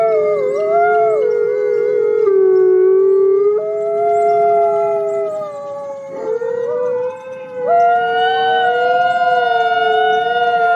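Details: Chorus of forest wolves howling to communicate with one another: several sustained voices overlap, each holding a tone before stepping abruptly up or down to a new pitch, with a brief dip in loudness near the end.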